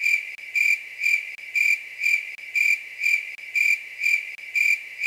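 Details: Grasshopper calling at night: a steady, high, ringing buzz that swells into louder pulses twice every second, with brief dips between pulses and no other sounds.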